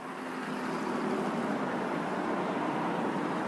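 Steady broadband vehicle rumble with no animal voices.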